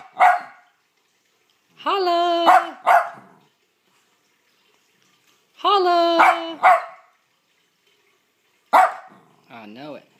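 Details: Sophie the dog barks in short bursts while a person's voice coaxes her. Sustained, strongly tonal howl-like vocal passages are mixed among the sharp barks, with quiet pauses between the bouts.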